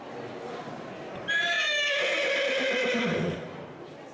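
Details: Horse neighing as a call for contact with other horses, starting strong then turning more nuanced. A loud tremulous whinny of about two seconds comes over a quieter low rumble, with a soft lower tail as it fades.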